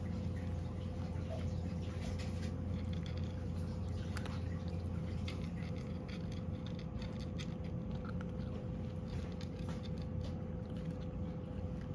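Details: A small room holds soft pattering, squishy chewing sounds and a constant electrical hum, with no animal voices.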